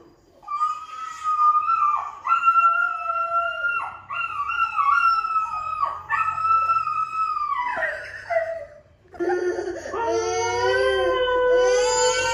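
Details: A Doberman howls in long, wavering tones, confused and answering a compilation of dogs howling on TV.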